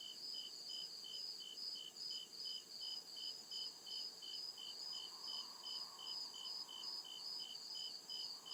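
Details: Deep-woods crickets calling after dark, rapid regular high chirps repeating about two and a half times per second, steady throughout, with a gentle lower wash of background sound.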